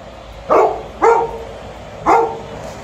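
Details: Alaskan Malamute waiting at home for its owner and a Golden Retriever to return, giving three short, throaty barks over a steady background hum.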